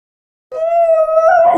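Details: Basenjis "talking" give a sustained, steady, yodel-like howl that wavers slightly near the end; Basenji.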